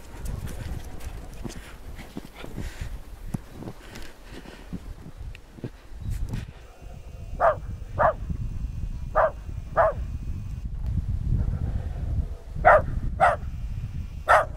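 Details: West Highland White Terrier named Nix in snow: after a stretch of low rumbling background noise, short barks come in pairs and a final triple, each bark crisp and mid-pitched, spaced roughly half a second apart.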